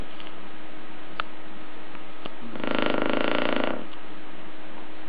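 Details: Sleeping Shar Pei dog indoors giving a single rough, rattling snore of about one second in the middle, with quiet breathing noise around it.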